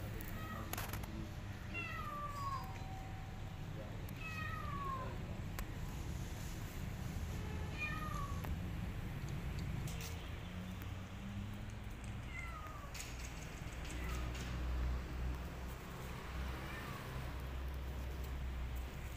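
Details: Pregnant, starving cat asking for food, her abandoned kitten following; several short descending meows spaced a few seconds apart over steady low traffic-like rumble and outdoor noise.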